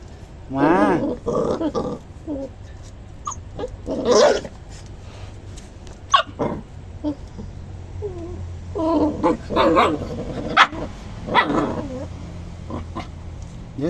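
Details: Domestic dogs that seemed to be fighting, with whining, wavering whimpers and short growling bursts scattered over the stretch, mixed with people speaking throughout.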